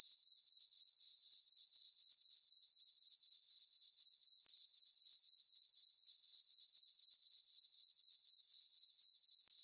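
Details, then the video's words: Night chorus of crickets in a farm meadow beneath a full moon in summer; a bright, high, metallic trill pulsing steadily around four times per second throughout, nothing else audible. "Cricket chirping sounds for sleeping - sleep and relaxation nature sounds at night"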